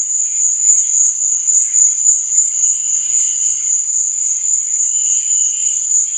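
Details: Crickets at night keep up an unbroken, piercing high trill with a rapid, even pulse; softer, lower chirping drifts in the background, stronger toward the end.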